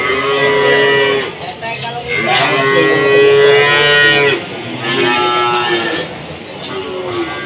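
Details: Market cattle in Jatirogo, Tuban, low and mooing repeatedly: three sustained moos, the middle one longest at about two seconds, against background music and a crowd at the livestock trading ground.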